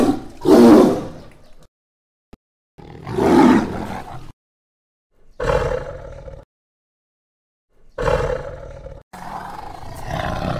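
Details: Tiger in dense jungle giving a series of five harsh, rasping roars, roughly every two to three seconds, each swelling and fading, with complete silence between bursts.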